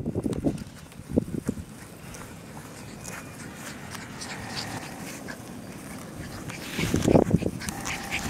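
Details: English Bulldog puppies: a few short, harmonic yelps and grunts at the start, another cluster near seven seconds, and quieter scattered squeaks over a steady low rumbling background between them.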